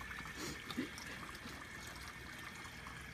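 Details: Quiet trickling water with soft, irregular dribbles and one small splash.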